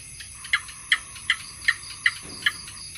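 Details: Gecko calling: a steady run of seven sharp, clicking chirps, evenly spaced about every 0.4 seconds, over a constant faint hum.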